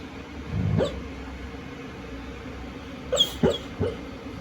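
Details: A male Golden Retriever, deep asleep and dreaming, gives a low, rumbling snore like an old man's, then three quick, muffled woofs.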